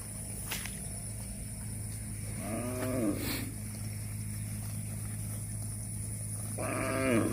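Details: Cattle eating grass; two short, rising-then-falling harmonic moos, one near the middle and one at the end, over a steady low hum and faint background noise.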